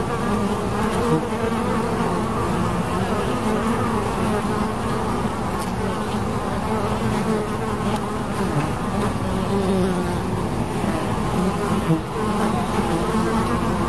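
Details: Steady low hum of bees in flight, several buzzing tones weaving and overlapping, rising and falling slightly, unbroken across the whole stretch.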